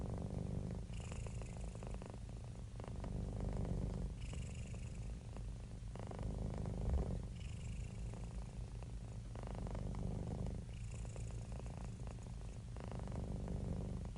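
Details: Cats and kittens purring: a steady, deep rumbling purr that swells into breathier, louder passes roughly every three seconds, the low throb continuing without pause.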